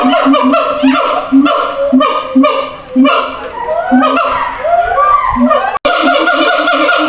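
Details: A siamang at a zoo gives a loud call of rich barking hoots with rising whoops, calling to others housed in different cages some distance away.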